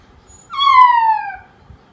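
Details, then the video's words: Poodle puppy crying while left alone: a single high whine about one second long, starting sharply and sliding steadily downward, with faint background rustle. "PUPPY POODLE MENANGIS SAAT DITINGGALKAN SENDIRI"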